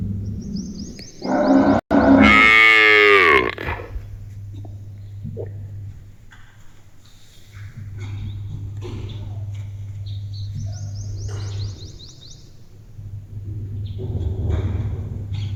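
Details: Female village pet cow seemingly talking to her owner gives a single strong, harmonic moo lasting about two seconds that drops in pitch at the end, followed by quiet with a low hum and faint high bird chirps.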